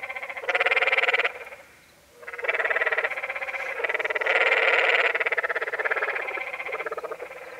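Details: Canyon tree frogs (Dryophytes arenicolor) on the Many Pools Trail, Zion National Park, Utah, give harsh, rapidly pulsed rattling calls, each about a second long, with overlapping voices.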